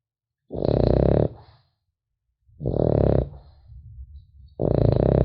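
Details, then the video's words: A French Bulldog puppy sleeps and snores in a quiet room, three gravelly, buzzing breaths spaced about two seconds apart, with soft snuffling between the second and third. "Храп щенка французского бульдога"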